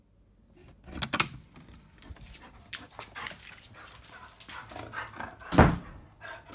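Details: Bisuke, a field-type Labrador Retriever, during mating: rapid rhythmic panting breaths, with a louder sharp vocal burst near the end and scattered rustling and movement noises.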